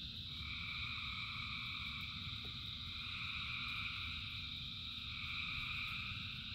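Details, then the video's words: Thousands of frogs singing in rain: a dense, unbroken chorus of overlapping trilling calls in several steady high bands, with a low rumbling wash of rainfall underneath throughout. "Frogs in Rain 2 Hours of Frogs, Thousands of Frogs Singing"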